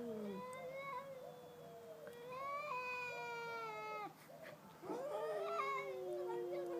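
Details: ["Two cats, a pet and a neighbour's cat, in a stand-off, often heard at night; long drawn-out wavering yowls, rising and falling with steady tones, one cat answering the other for several seconds at a time."]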